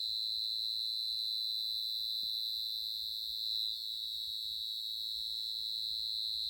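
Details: Cricket recorded at very close range: a continuous, high, unbroken ringing trill holding one steady pitch throughout, over a faint low background rumble.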